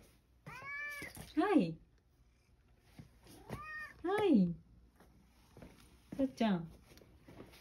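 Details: A male domestic cat indoors with an elderly woman, about to be given tasty dried sardines in the kitchen, gives three drawn-out meows that fall in pitch, spaced about two and a half seconds apart, between a woman's calm speech.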